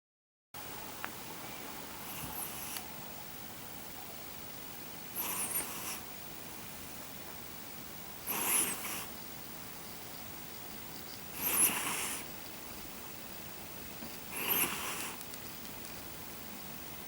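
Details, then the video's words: Schimanski the cat snores while asleep: five soft, breathy hisses, each about a second long, repeating roughly every three seconds in a quiet indoor room. "Snoring cat Schimanski"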